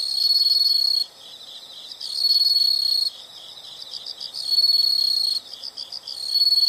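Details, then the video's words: Calming insect sounds: repeated piercing high trills, each about a second long, alternating with brief gaps where a quieter pulsed chirping carries on steadily. "the sound of insects"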